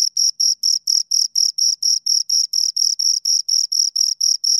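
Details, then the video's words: Close-range chirping of two crickets, distinct high-pitched pulses at an even rate of about four per second, each pulse a short buzzy scrape, background silent. "Two Crickets Chirp Sounds"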